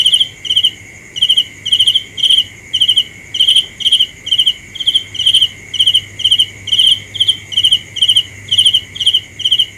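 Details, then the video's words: Cricket at night giving a long steady series of sharp, high pulsed chirps, a little over two per second, with a faint constant whine behind. "The best sounds of Cricket 《 Suab Kab Ciliv Quaj Zoo Heev》 ( ສຽງແມງຈີ່ນາຍຮ້ອງດີໆ )"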